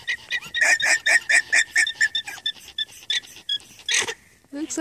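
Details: Alpacas on a Unity, Maine farm squeak in alarm at a fox in their field one morning, giving a steady run of short, high, pulsing squeaks, about two per second, before a brief noise at the end.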